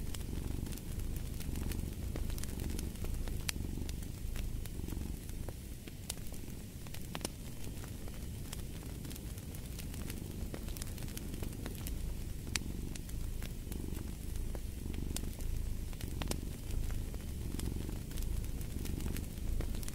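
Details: Domestic cat purring steadily for sleep and relaxation, a low rumbling drone swelling and easing in slow breaths, with sharp fireplace crackles and pops scattered throughout.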